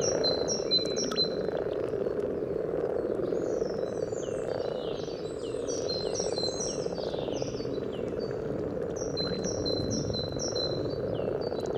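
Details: Common frogs in full spawning chorus near the yellow trail, Sunnersta, Uppsala: a constant low purring murmur, recorded by parabola, with several birds adding quick high chirps and twittering phrases overhead.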